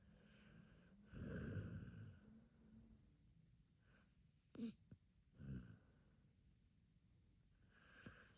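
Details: Hachi, an Akita dog, snoring in sleep: a loud rough inhale early on, then quieter breaths broken by brief snorts and sniffs.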